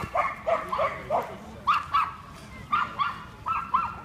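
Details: Norfolk Terrier named Tawashi, a seven-month-old male, at the Yoyogi Park dog run in the evening. Sharp, mid-pitched barks come mostly in quick pairs, about ten across four seconds, over a low background hum.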